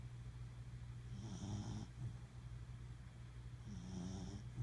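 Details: Ryder Rogue, a Welsh Corgi, snores in sleep: two drawn-out nasal breaths, each under a second, separated by a pause, against a faint steady background hum.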